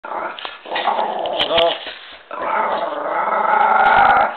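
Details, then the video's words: Miniature pinscher growling fiercely indoors: a rough, harmonic-rich snarl in two long stretches split by a brief pause, rising and swelling toward the end, with a few sharp clicks. "pinscher nain féroce"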